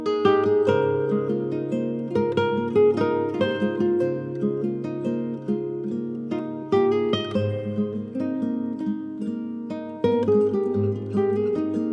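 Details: Plucked acoustic guitar music with strummed chords fills the whole stretch, no animal sound audible.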